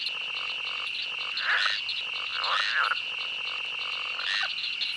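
Insects keep up an unbroken, shrill buzzing chorus at a constant pitch. Three short, throaty croaks rise above it, perhaps from frogs calling nearby.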